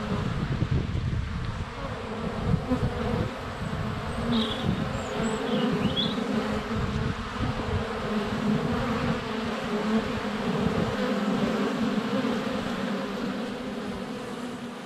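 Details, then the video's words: Swarm of honey bees at the hive entrance, sunny February, GoPro close up; a rich steady hum of wings with fluttering rises, and brief birdsong chirps heard behind the drone. "4K Honey Bees - ambient video and audio"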